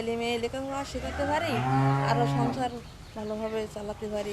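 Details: Cattle on a dairy farm in Bangladesh give one long, low, drawn-out moo of about a second, rising slightly before fading, set between stretches of human speech at the start and end.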